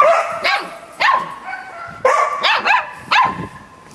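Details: Talkative Samoyed puppy vocalising with a Labrador companion: roughly six sharp, high yelps in quick clusters, each rising then falling in pitch, separated by short quiet breaks.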